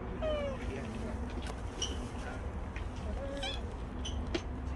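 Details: Stray cat Bolt, in the last recording after seventeen months of staying close, opens with one clear descending meow, followed by fainter mews, scattered clicks and low background rumble.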